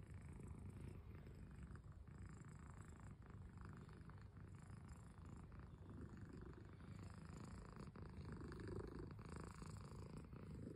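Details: A cat's purr, a dense low rumble pulsing roughly three times a second in a regular breathing rhythm, with light rustling over the top.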